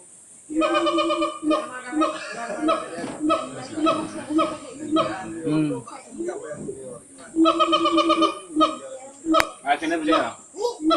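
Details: Siamang calling at Gunung Gerute, Aceh Barat, Aceh: bursts of rapid, strongly harmonic barking notes, separated by a busier section of overlapping, irregular calls.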